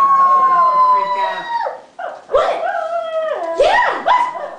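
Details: Pet dog singing along with its owner: long, drawn-out harmonic howls that slide downward, then rising and falling wavering notes. The owner joins in with sung 'oh yeah' and praise.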